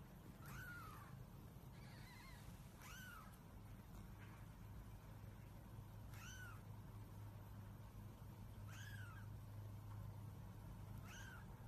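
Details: Domestic cat giving a series of clear, arched meows, each rising then dropping in pitch, repeated roughly every one to two seconds, six calls in all, against a constant low hum.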